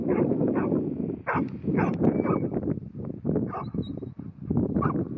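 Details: Ruby, a ten-month-old New Zealand Huntaway bitch at Skipton, barks in rapid, uneven bursts. Her deep repeated woofs come several per second over a steady rumbling background noise.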